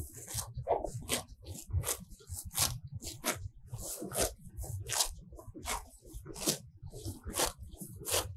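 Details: Grazing cows feeding on fresh grass in a sunny field, heard from very near. Quick ripping pulls come about twice a second over a bed of low crunching and chewing.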